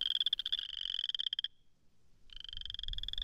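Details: A boreal chorus frog (Pseudacris maculata) gives a rasping, pulsed comb-like trill twice during its mating display in early spring in Missouri.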